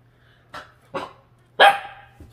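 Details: Jindo dog rescued from a slaughterhouse, reacting to its reflection in a refrigerator: two short, quieter yaps, then one loud, harsh bark. A low steady hum runs underneath.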